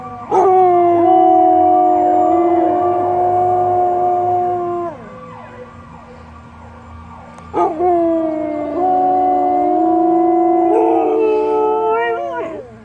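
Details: A Samoyed howls in long, sustained, strongly tonal notes that hold steady, then slide and break off, two main howls of about four seconds each separated by a quieter gap, loud and close.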